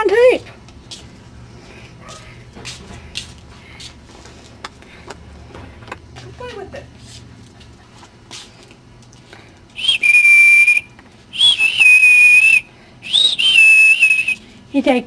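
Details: Ten-week-old Cardigan Welsh Corgi puppies indoors; after several seconds of people talking and small bumps, high, thin, steady whines come in three long bursts near the end, with voices continuing around them.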